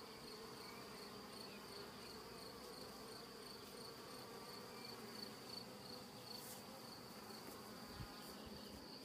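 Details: Comb-building honey bee swarm in a see-through hive, thought to have lost its queen. An even, thick droning buzz continues throughout, broken by a few sharp clicks and knocks late in the recording.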